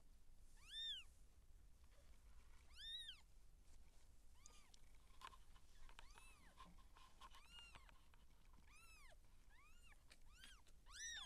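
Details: Siamese seal point cat during labour with kittens being born: a steady run of high, arched mewing calls roughly every second or two, some louder and rougher, others thin and soft, against a low background hum.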